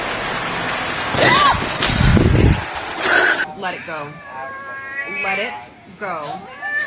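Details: A cat gives several wavering, drawn-out meows that bend up and down in pitch, following a few seconds of a person talking loudly nearby.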